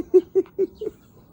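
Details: Spring in Seongsu-ri, Hongcheon County, Gangwon Province: one of three puppies born January 2021 to Dongsan, a balbari, gives four quick, even squeaky yips in a second, then quiet.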